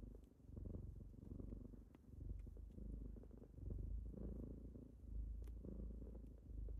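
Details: Low, throaty purring from kittens on a typical morning wake-up, rising and falling with each breath about forty times a minute, occasional soft clicks.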